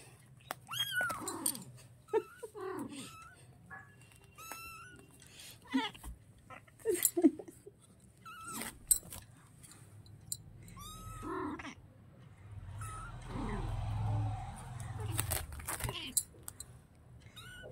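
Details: A small kitten that has been angered, giving a string of short, high, wavering mews and rising-falling cries. They turn into a breathy, hissing rush near the end, with a low hum in the background.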